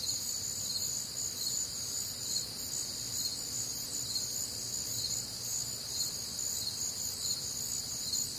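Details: Midwestern crickets on a warm, humid summer night produce a steady, high, buzzing-trilled chorus with fast even pulses across layered pitches, uninterrupted throughout, over soft low background noise.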